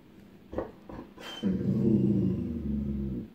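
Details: Echo, a female dog upset by a coming storm after spotting distant lightning, gives a few faint taps, then a low, rumbling growl that lasts about two seconds before tailing off.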